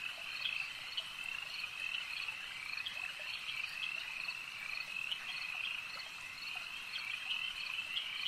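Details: A crowd of frogs at a lake fills the air with continuous shrill trilling, punctuated by short, crisp clicking calls throughout, no other sounds standing out.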